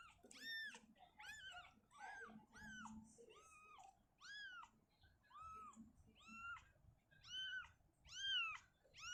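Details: Domestic cat Shizuka, a mother indoors, uncomfortable in a cabinet, moving her kitten back to an open area: high, arched, harmonic-rich mews, about eleven in nine seconds, each rising then falling, at a steady insistent pace, with faint room rustling between.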